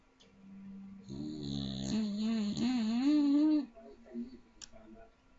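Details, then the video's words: A little Staffordshire bull terrier snoring very loudly in its sleep: one long, rasping breath of about two and a half seconds with a wavering, buzzy pitch, then quiet. "Cute little Staffordshire Bull Terrier snoring very loud."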